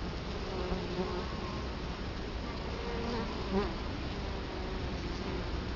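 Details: Italian honey bees buzzing at their hive entrance, Colorado Springs, October 2011, filmed right in front of the hive; an unbroken hum with a few louder passing buzzes from single bees flying near.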